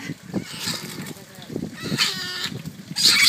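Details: Asian small-clawed otters at Ikeda Zoo, Japan, 12 January 2013, squabbling over something, give shrill, high squealing bursts, sharpest near the end, over people talking.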